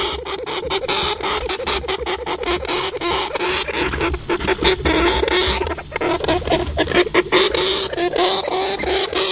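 A hamster makes rapid, scratchy clicks and faint high squeaks in a busy, rustling stream.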